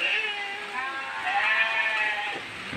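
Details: Goat begging for food in a heavy downpour, a sustained wavering bleat over continuous rain hiss, with a brief low human voice near the end.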